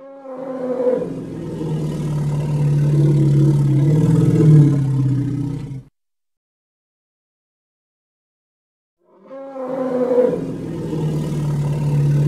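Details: Hippopotamus from the Congo giving a long, deep, droning call with stacked low harmonics, lasting about five seconds. A second call begins after a silent gap.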